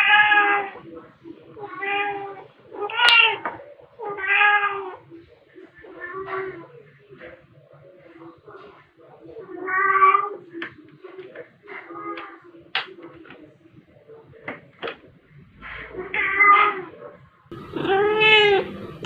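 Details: Indoor play session with pet cats Pepper, black, and Kofi, a tabby, batting fluffy toys, recorded March 2021; many short meows interleaved with speech, ending in a loud, drawn-out cry.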